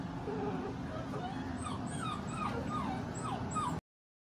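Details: A Basset Hound whimpering during a pajama party: a series of thin, high whining notes, several bending downward, repeated through the clip over a steady low rumbling background hum, ending abruptly.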